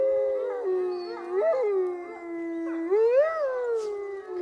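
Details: A visiting dog at a zoo in Neuruppin, Brandenburg, Germany, on July 28, 2022, howls in long, wavering tones that dip and rise, an off-key attempt to answer the wolves howling there.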